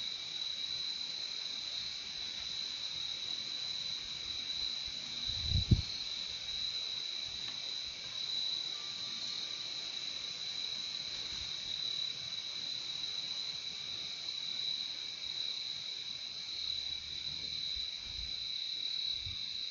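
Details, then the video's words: Steady high cricket trilling fills the whole recording in two layered tones, unbroken throughout; a single low thump breaks in near the middle and faint low rumbles come toward the end. "Relaxing sound of crickets"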